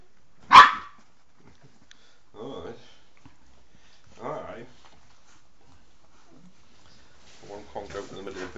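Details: Five-week-old Bernese Mountain Dog pups with their mother indoors: one sharp bark, then soft whimpering yips, with a woman cooing baby talk near the end.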